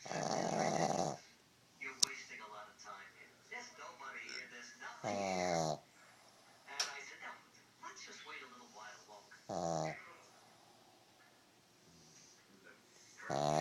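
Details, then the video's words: Pug snoring while taking a nap, loud rasping snorts roughly every four to five seconds, with softer murmuring sounds between them. "Snoring pug"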